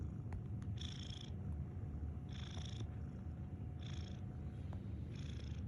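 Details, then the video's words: A cat snores steadily. Four airy, wheezing exhales, each under half a second, recur about every one and a half seconds above a low droning rumble, with occasional light ticks. "FUNNY CAT WITH NICE SNORING"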